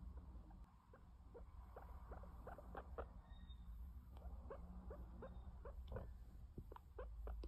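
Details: Baby guinea pig named Max, a pet sheltie, gives a run of short, quick rising chirps and squeaks, several each second, over a steady low hum indoors.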